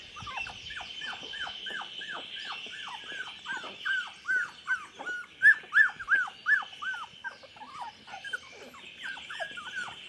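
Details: Chocolate Labrador puppies aged 24 days whining together: dense, overlapping high-pitched cries, each dropping in pitch, repeated almost three a second and swelling louder midway before easing off.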